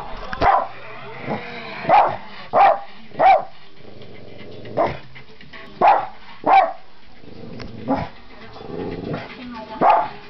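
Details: Dog releasing confusion and frustration at the television in loud barks: sharp single barks, some in quick pairs, about eight over ten seconds, with faint speech and low growly sounds in the gaps.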